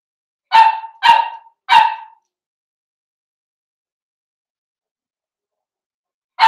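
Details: Indoor puppy pen where a litter of five Blenheim Cavalier King Charles Spaniel puppies plays with mother Paris; three bright, clipped barks in quick succession, then a long pause before a fourth bark begins.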